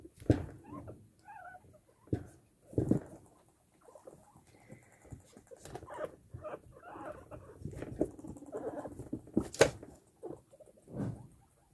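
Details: Hairless female guinea pig courting a male with a swaying butt dance, giving bursts of low rumbling and short chattering pulses, a few brief squeaky notes, and rustling movement between calls.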